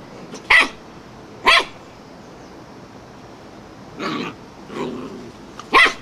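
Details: Wire-haired fox terrier barking madly at a flowerpot: four sharp, loud barks spaced a second or more apart, with quieter, throatier bursts between them.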